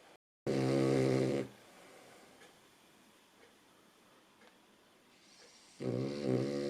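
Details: A female Cavalier King Charles Spaniel snores: two loud rattling breaths separated by a quiet pause.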